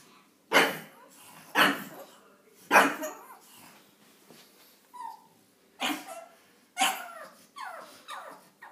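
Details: Ollie the pug, a pet dog, barks at Daisy the cat blocking him on the stairs; loud sharp barks about every second, then softer whining yips, with a person speaking in between.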